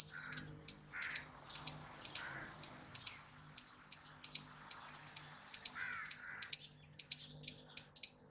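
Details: Squirrel repeating sharp, high chirps, singly and in pairs, at a brisk regular rhythm, with occasional lower warbling notes and a faint steady hum underneath.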